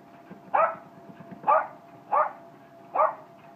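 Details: Jack Russell terrier barking during exercise: four short, sharp barks spaced under a second apart, over a steady low hum.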